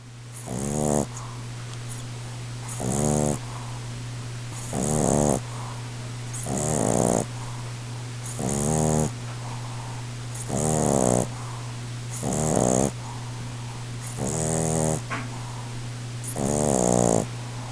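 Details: A Boston Terrier named Russ snoring loudly while asleep indoors: harsh, rattling snores with buzzy harmonic bursts, eight or nine breaths roughly every two seconds, over a steady low hum.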